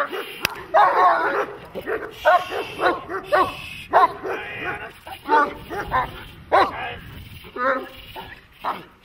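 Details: German Shepherd in protection training giving rapid, rough barks in uneven bursts, some with a whining edge, while a handler shouts nearby.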